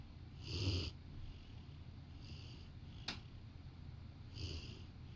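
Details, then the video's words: A Rottweiler napping on a sofa beside its owner snores softly, low rumbling breaths with a faint hiss on each exhale. "Rottweiler taking a nap while snoring"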